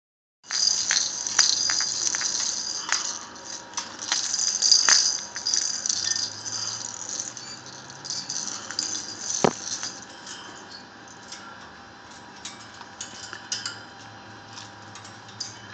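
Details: An orphaned baby black flying fox (Pteropus alecto), in care until old enough for release, gives a rapid stream of high, scratchy squeaks and chattering clicks; she makes noise more the happier she is.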